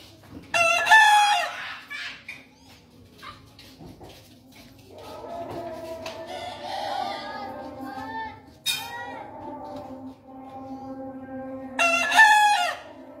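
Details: Bekisar heard from afar, crowing three times in about twelve seconds. Each crow is short, bright and rasping. Softer clucking and background voices fill the gaps.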